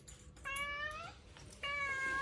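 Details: Pet cat complaining indoors, wanting to go outside for a walk in the yard; two long, clear meows, the first slowly rising then dropping, the second steadier and louder, separated by brief quiet.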